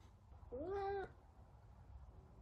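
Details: A talkative Savannah cat named Sabian calls while trying to find Sabina, another cat: one clear, drawn-out meow that rises briefly and then holds steady for about half a second, indoors against a low background hum.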